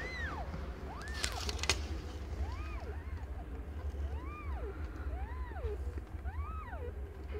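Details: Repeated arched mewing, roughly once a second, high and rising-then-falling, while Aimee, a cat not yet one year old, gives birth to five differently coloured kittens; a brief rustle and steady low hum underneath.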